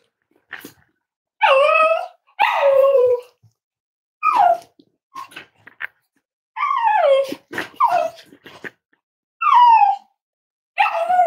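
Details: Myra and Remy's Cavalier King Charles Spaniel puppies, five weeks old, whine and yip indoors at Red Barn Cavaliers during a morning weight check. Bursts of high, bending whimpers and sharp yips recur irregularly, with several puppies crying at once.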